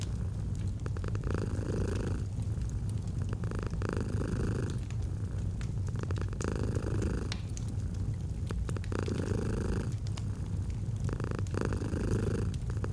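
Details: Domestic cat purring gently in a cozy autumn setting beside a fireplace: continuous low rumbling purr in alternating inhale and exhale phases roughly every one to two seconds, with soft fire crackles.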